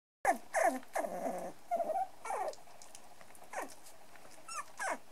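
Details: Three-and-a-half-week-old brown and black dwarf-toy poodle puppies playing together, giving short high whimpers and yelps that fall in pitch, several in quick succession, then softer squeaks near the end.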